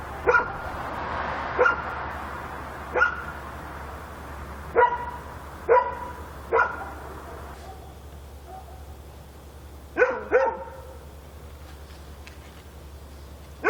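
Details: Korean night scene of a dog barking: sparse single barks one to two seconds apart, a close pair near the end, echoing faintly over steady low hum.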